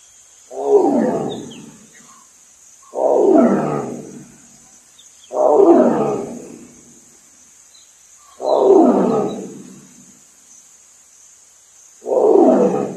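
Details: A wild tiger in Bandhavgarh, India, gives deep, rasping roars, one about every two and a half seconds.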